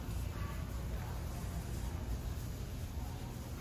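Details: Steady low rumbling noise, like a vehicle interior, fills the recording with no animal sound.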